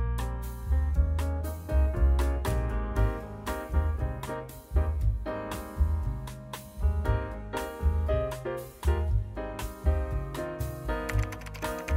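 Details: Lively jazzy piano music with rhythmic chords and a bouncing bass line fills the recording, with no animal sounds.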